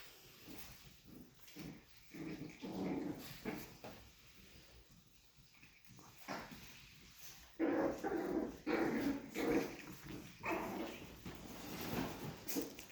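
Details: Chihuahua puppies from Missouri, indoors while the floor is being mopped, giving low, rough growls and whines in short bursts, mixed with mop swishing and scraping on the floor.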